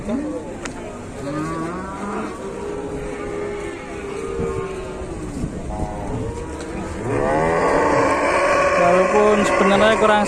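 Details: Cow unable to stand at an Indonesian market while market-goers look on with concern; several long, low, drawn-out moos rise and fall, the last growing louder and higher, over steady market background noise.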